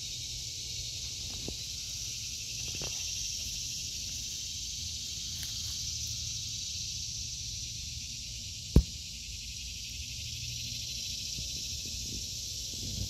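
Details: A steady cicada buzz drones on in a vegetable garden in August 2023, high and unchanging, with a few light clicks and one sudden sharp snap midway.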